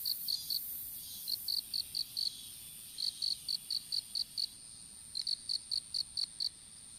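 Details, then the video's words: Insects in an outdoor strawberry field during seedling planting, picked up by a smartphone lying on the ground: evenly spaced high chirps in runs of four to eight, separated by short silences, with a thin constant high tone behind. "虫の鳴き声in いちご畑"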